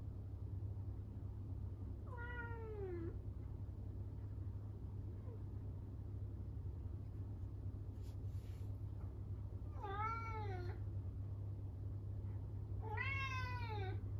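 A Norwegian Forest Cat gives loud, drawn-out meows that fall in pitch, calling from loneliness when left alone.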